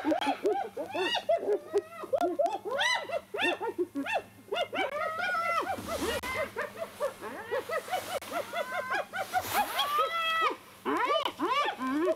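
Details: Spotted hyenas squabbling over a carcass taken from a leopard in a tree, Djuma Private Game Reserve, sunrise, 1 July 2021; dense, loud rapid giggles and whooping squeals, rising and falling, almost continuous throughout, over a low engine hum.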